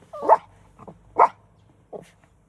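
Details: Jealous puppy in a car, unwilling to share its favourite human with another dog, gives three short, sharp barks roughly a second apart, the middle one loudest, with quiet gaps between them.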